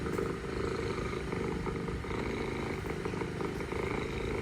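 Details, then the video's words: Mother cat among stray cats in Istanbul purring while talking to her kittens; steady low rumbling purr with regular pulses throughout, faint urban background. "Mother cat purring, mother cat talking to kittens"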